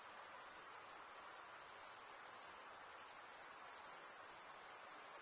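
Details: Male crickets stridulating, wing scraped over the serrated vein of the other wing, make an unbroken shrill chorus, high and even, with rapid fine pulsing and no gaps or background noise.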